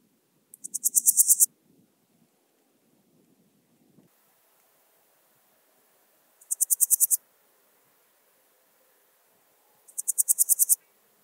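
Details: Song of a Swiss gold grasshopper at Wildhaus, Switzerland, recorded 7 October 2022: three separate bursts of seven or eight sharp, hissing pulses, each under a second long, spaced several seconds apart. Faint low rustling and a soft hum come between them.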